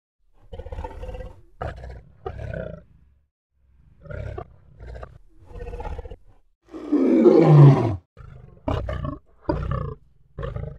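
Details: A lion gives low grunting bursts, then one loud roar that falls in pitch, followed by more short, rough grunts spaced about a second apart.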